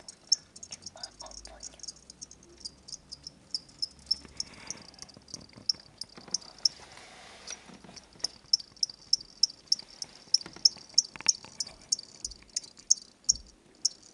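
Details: Chirping from two pet crickets kept at home, bought from a pet shop where they are sold as reptile food: short high chirps in a steady series about three per second, with faint room noise and rustling underneath.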